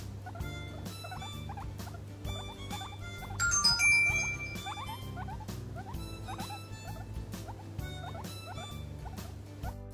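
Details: A guinea pig, tucked in a foot warmer and asking to be stroked, gives short, rapid squeaks that bend up and down, repeated many times over soft music.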